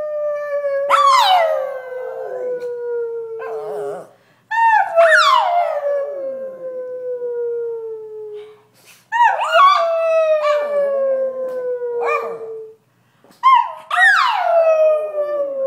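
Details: A pet Brussels Griffon, Chloe, sings when prompted: four long descending howls, roughly one every four seconds. Quick sharp yelping onsets and audible breaths fill the gaps.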